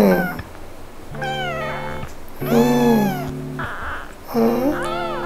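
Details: A kitten meows at its owner before going to bed, three or four calls arching up in pitch and then sliding down, with short pauses between, over sustained background music.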